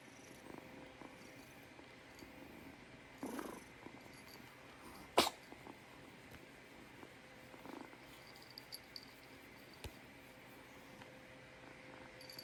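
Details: A kitten purrs faintly while a snuffly burst comes near three seconds and a loud, sharp sneeze just after five seconds; small clicks and a steady high whine fill the rest.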